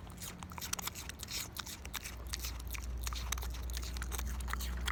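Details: Pickles the pig, a pet pig, eating an apple indoors: dense crunching and wet chewing bites come in quick irregular bursts, about three a second, over a low steady hum.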